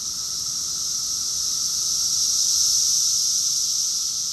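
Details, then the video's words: Cicadas calling together in a June 2021 summer chorus at Rockville, Maryland, USA; a continuous shrill buzzing wall of sound that grows slightly louder toward the end. "Cicada's chorus song"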